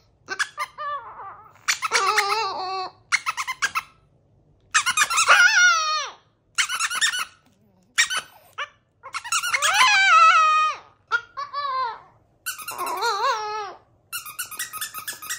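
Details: Chihuahua howling indoors in a series of high, wavering, harmonic-rich howls broken by brief yips and squeaky bursts, some notes sliding down in pitch and others bending up and down, with short silent gaps between.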